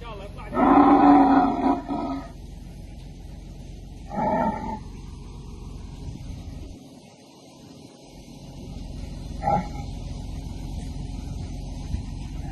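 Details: A she-camel trapped in a well and being pulled out utters short rasping moans. A strong one comes first, then two fainter, briefer grunts spaced several seconds apart over a low background rumble.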